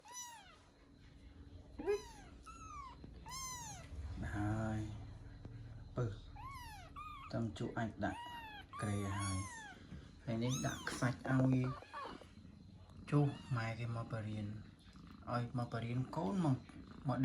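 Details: Tabby kitten learning to walk gives four high, arched, thin mews in quick succession at the start, then a woman talks in Khmer over occasional further mews and soft rustling.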